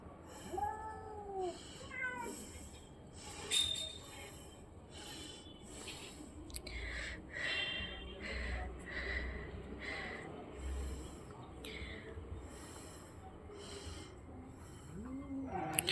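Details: Domestic cats, one orange-and-white and one white, scuffling in a playful fight; several short rising and falling meows and yowls spread through the clip over a steady low hum and scattered thumps.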